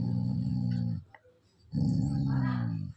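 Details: A Labrador Retriever growls in two deep, rumbling bouts, each about a second long, stubbornly refusing to give up an object its owner asks for.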